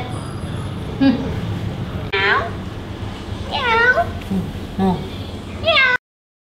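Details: Domestic longhair cat, a female, with her owner; four separate meows spaced over six seconds, each a harmonic wail that rises then falls, with faint speech in between.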